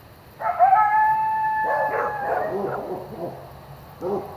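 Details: Coyote yowling at night near a driveway: a long, steady, high howl held for over a second, then breaking into wavering yips and quavering barks that fade, with a final short yip burst.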